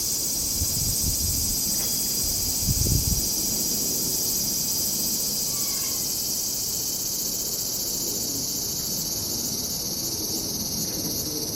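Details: Cicadas in summer at a traditional Japanese house in Japan: a steady, unbroken high-pitched shrill drone fills the whole recording, with faint low rustling and a few soft knocks beneath.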